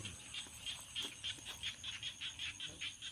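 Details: Frogs calling in a rice field at Ban Chom Nang in April 2021: short high-pitched chirping croaks repeated about three times a second, over a steady thin high hum.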